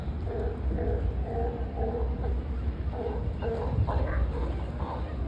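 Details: Close-range sea lions at SF Pier 39 trade quick, throaty barks, several short yaps in a row, then a second sharper series after three seconds, against a dense low rumble of pier noise.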